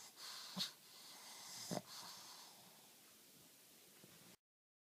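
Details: Napping black pug in its sleep, giving two short, snorting, wheezy snores about a second apart, followed by soft, airy breathing that fades to silence.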